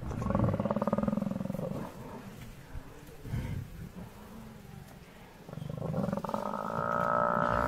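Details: Hungry lions facing an angry buffalo herd in the wild; deep, drawn-out harmonic growling calls at the start and again near the end, with quieter rumbling and scuffling between them.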